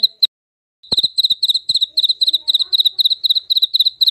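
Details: Jaliteng cricket, used to drive away mice: after a short pause a steady run of shrill chirps, each a tight cluster of rapid pulses, repeating several times a second, with a soft knock at the restart.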